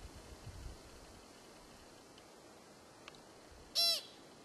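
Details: Single American pika call from Kokanee Glacier Provincial Park, British Columbia: a quick, sharp, squeaky burst with a fast downward sweep, standing out clearly against quiet background hiss.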